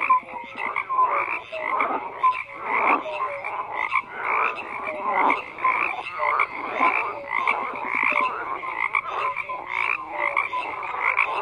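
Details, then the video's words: A long stretch of frogs croaking in chorus, loud pulsed bursts of rough calls every second or two over a constant hum of many more distant callers. "FROGS CROAKING"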